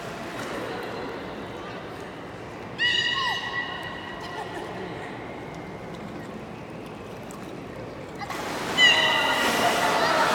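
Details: Captive beluga at Port of Nagoya Public Aquarium, public training on 24 March 2018, 16:30 session: a short harmonic whistle with a falling tail near three seconds, quiet gap, then a louder squealing whistle near nine seconds amid crowd noise.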